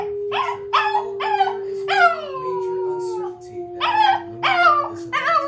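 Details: Shih Tzu dogs howling indoors, including a young one unsure of the howling: wavering, harmonic yowls in short bursts and one long sliding howl, over a steady humming tone in the background.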